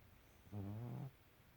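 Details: A female pet cat sleeping very deeply snores once, a low, harmonic, droning breath lasting about half a second against a quiet background.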